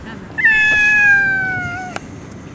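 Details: Fighting stray cats in Russia: one clear, slightly descending wail lasting over a second, harmonic and tonal, ending with a sharp click.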